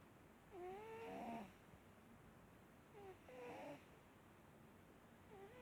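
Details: Snoring from Marsik, a pet cat: breathy wheezes roughly every two and a half seconds, each with a squeaky nasal whistle sliding up and over, and near-silence between breaths.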